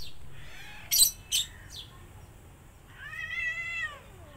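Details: Mother cat with kittens that bit her while feeding and got hit: two sharp, noisy spitting bursts close together, a softer third, then after a pause a drawn-out, level, nasal meow fading downward at the end.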